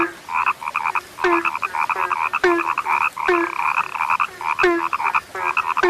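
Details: Frog croaking, described as a now-rare sound: trilled, rattling croaks repeat in quick overlapping bursts, joined by deeper short notes sliding downward about once a second, in a steady dense chorus.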